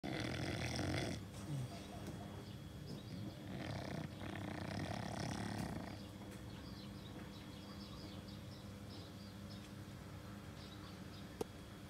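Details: Chow Chow (Canis lupus familiaris), snore.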